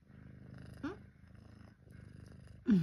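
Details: FeLV-positive pet cat waiting for breakfast indoors: steady low rumbling purr throughout, broken by two short rising meows, one near the middle and a louder one at the end.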